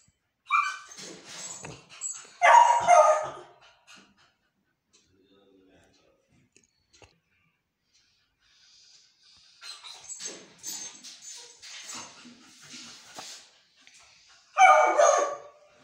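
A Beagle puppy gives high, wavering howls and whines, begging for a favourite food.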